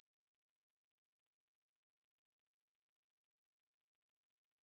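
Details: Katydid Ruspolia lineosa (왕매부리), recorded for the National Institute of Biological Resources in 2020: a piercing high-pitched continuous trill made of quick, evenly spaced pulses, alone in silence.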